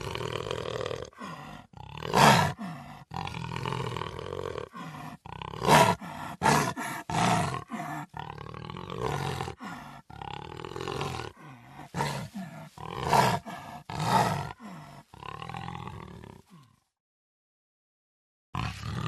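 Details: Puma producing a long run of gravelly, harmonic roars and groans with irregular short breaks and occasional loud, sharp peaks, ending in near silence before a final brief sound.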